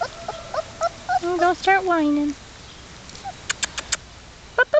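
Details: Outdoors in New York, black German Shepherd puppies aged three and a half weeks, from Czech working lines, whimper in a run of wavering notes ending in a long falling whine, followed by soft clicks and a last short yelp.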